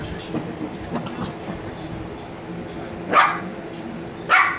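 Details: Niro and Kyno, sleepy Shiba Inu puppies aged 86 days, letting out two brief bright barks about a second apart near the end, following soft low rustling and murmurs.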